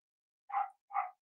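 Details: One-week-old Cavalier King Charles Spaniel puppies of the dam Myra during weight checks; two short, breathy, mid-pitched yelps or cries in quick succession, each about a quarter second, against silence.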